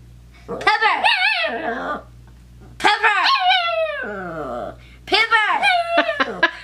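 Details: Female pet dog protesting a name she hates: three drawn-out, yodeling whine-howls, each sliding up then down, separated by short gaps, with a faint low hum underneath.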